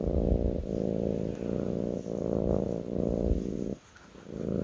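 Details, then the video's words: A kitten lying on a lap purrs in a deep buzzing drone, phases changing about every 0.7 seconds, the rumble stopping briefly near the end before resuming more quietly. "ASMR kitten purring on my lap"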